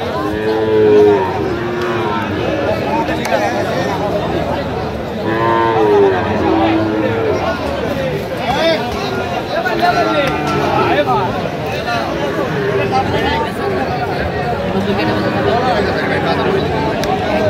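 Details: Sahiwal bull calves at the Aftabganj cattle market, 28 September 2025: low drawn-out moos rising and falling, over constant crowd chatter and bargaining voices.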